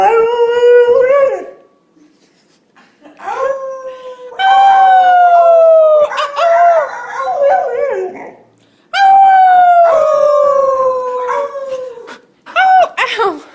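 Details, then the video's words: Young puppies practising howling, giving a string of drawn-out, downward-sliding howls, some overlapping and quavering, broken by short pauses of near silence. "Cutest Puppies Learning to Howl"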